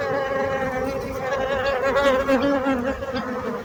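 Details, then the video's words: Bees buzz in a rich, harmonic drone, one nearby insect's buzz wavering up and down in pitch in the middle of the steady background hum. "So brutzit abelles - Bees sound - Bees buzzing sound effect"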